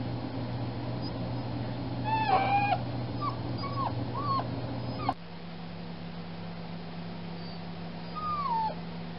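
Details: Spayed foster puppy whining through the night after surgery; high tonal whimpers with bent, falling pitch come in short bursts over a steady low hum.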